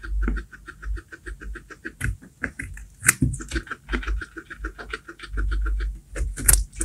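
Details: Domestic guinea pig eating baby corn, with rapid crunchy chewing clicks and bites repeated several times per second, interspersed with louder crackling crunches and low thumping handling noise.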